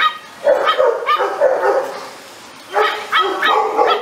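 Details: Amstaff dog, the short-coated American Staffordshire Terrier, barking in two quick bursts of three or four sharp, yappy, high-pitched barks with a quiet pause of about a second between the bursts.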